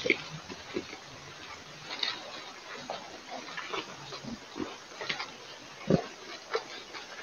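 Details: Wild boars in the evening while mud bathing: soft, scattered grunts and snuffles at low volume, with one short, louder grunt near the end, over a steady background hiss.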